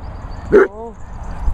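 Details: A dog at a Worcestershire countryside training and boarding kennels, where an Airedale, a Chug and a Vizsla are kept, gives one short sharp bark that trails into a brief falling whine over low rumbling background noise.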